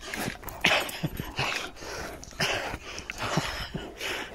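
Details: Blue blood bulldog, German Shepherd and Presa Canario at play over a bite pillow; rough huffing and growly bursts repeat about every half second, with a brief high yip early on and a person's voice close by.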